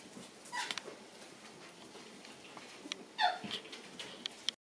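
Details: Shiba Inu puppies at play in a room after lights-out, two brief shrill yelps, one near the start and one louder a few seconds later, separated by quiet rustling and tapping.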